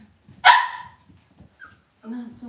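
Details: Cavalier King Charles Spaniel puppies raised indoors in a home puppy pen: one sharp, bright yip-bark, then after a pause a short steady whine with stacked tones, faint rustling between.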